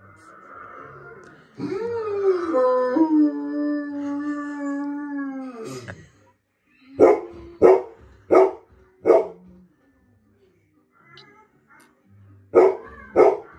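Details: A confused Golden Retriever, reacting to a German Shepherd it recognised on TV, gives a long wavering howl, then a run of sharp, evenly spaced barks.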